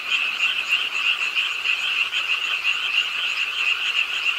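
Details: Frogs at a city park pond in Suwon, Ingye Arts Park, croaking with the nighttime rain; a thick, unbroken wall of fast rattling calls from many frogs, slightly pulsing in loudness, rain noise beneath.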